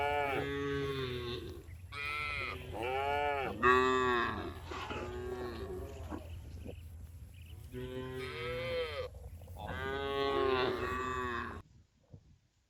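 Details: Village farm cows, tame and herded home to the barn each afternoon, giving a run of strong harmonic moos, several short bellows and longer arching calls from more than one animal, ending in near silence.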